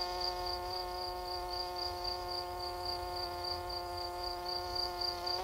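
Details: Night cricket chirping in quick high pulses, close to four each second, sitting above a constant layered drone of meditative music.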